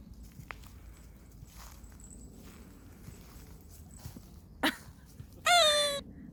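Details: Brown Toy Poodle puppy lacking social skills, out meeting other animals to make friends; a loud, harmonic, high whine or yelp falling in pitch lasts about half a second near the end, after a sharp short click and faint background noise.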